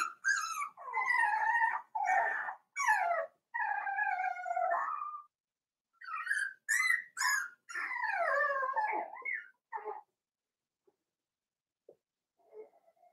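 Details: Five-week-old Cavalier King Charles Spaniel puppies in a puppy pen, high wavering whines and yelps in quick overlapping bursts, several pups calling together for about ten seconds, then fading to faint squeaks.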